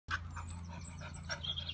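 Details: A female English Springer Spaniel gives a few short, sharp barks over a steady low hum.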